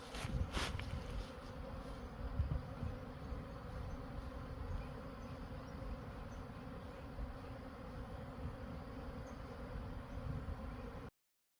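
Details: Dense humming of honey bees as Khmer farmers collect honey, an unbroken low drone holding steady for about eleven seconds, with a few louder bursts of rustling noise early on before the sound cuts off.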